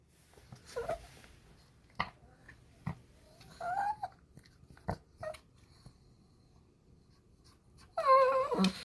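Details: Pet dog indoors in a small room, woken from sleep and invited for a walk; after scattered soft rustles and breaths, a final high wavering whine rises and bends near the end.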